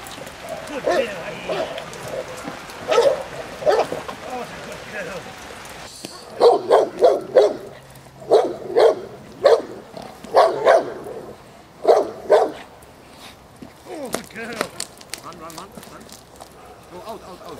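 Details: J7's Kelly, a Presa Canario female from the Irema Curto line, barking during protection training at De la Arena field in Germany. Deep barks repeat in pairs and short runs throughout, fading toward the end. Faint talking can be heard underneath.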